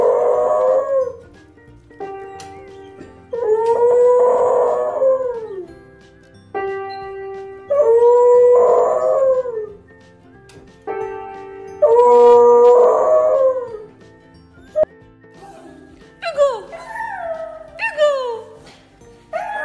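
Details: Pet dog howling along with music in a funny compilation: drawn-out wavering howls that rise and fall, repeated roughly every four seconds between musical chords, with the music continuing underneath.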